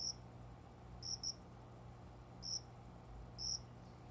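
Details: Cricket chirping at dawn, just after 5 a.m., in a small plant area by an indoor window in summer; sparse high single and double chirps spaced about a second apart over a quiet low hum.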